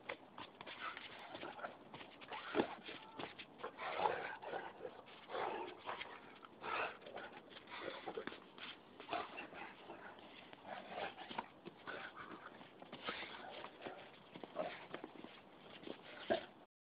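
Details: Duffy, a Great Dane, gives a run of short whining and yipping sounds, irregular and close together, roughly forty a minute, with brief louder peaks over a slightly noisy indoor background.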